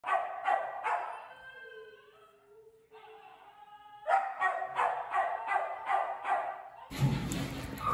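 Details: Young stray Labrador Retriever puppy at a shelter awaiting adoption, giving bursts of sharp, evenly spaced barks several per second. A smooth sustained tone sounds between the bursts, and a rough noisy rush follows at the end.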